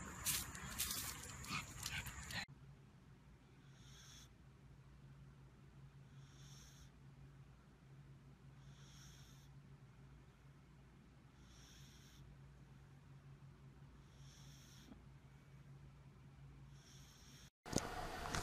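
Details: Pug breathing noisily, a soft wheezy hiss with a faint snort that comes back about every two and a half seconds over a low, steady indoor hum. Brief louder noise at the very start and end.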